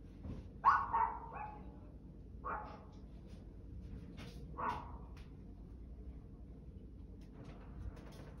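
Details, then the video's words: Barking dog giving a rough double bark, then single barks about two seconds apart, each short and harsh, with a low rumbling background and a few faint clicks. "barking dog"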